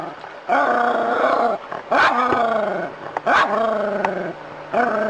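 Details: Confronting a snake, a dog lets out four strained, wavering cries in five seconds, each sliding and bending in pitch, with short sharp breaks between them.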